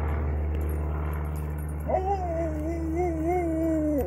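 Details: Basset Hound named Ollie during a ball game: a long, wobbling, rising-and-falling whine lasting roughly two seconds in the second half, set against a steady low droning hum.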